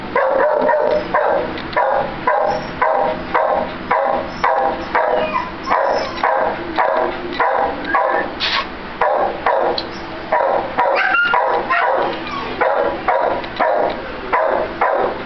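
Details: American Cocker Spaniel up for adoption, barking loudly and insistently in an even, rapid series of sharp barks, roughly two per second, for the whole stretch.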